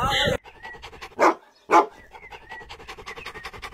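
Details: Border Collie dog playing volleyball with its owner: a loud opening thump, then two short, harsh barks a half-second apart, followed by soft, rapid rhythmic pulses with faint whistly tones in the background.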